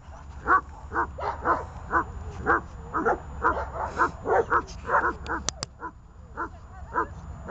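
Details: Barking from tethered dogs Glemmy, Fela and Rey: rapid, irregular mid-pitched woofs crowding together, two sharp clicks midway, then slower scattered barks to the close.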